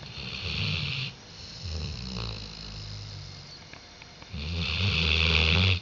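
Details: Diesel, a dog, snoring on 5 October 2011: a loud rasping, rumbling snore with a hissing edge, then a softer breath, then a second strong snore building at the end, indoors.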